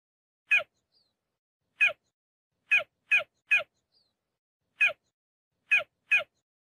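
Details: Cheetah giving brief, high, chirping yelps, clipped and slightly raspy. Some come alone and some in close doubles or triples, separated by quiet pauses.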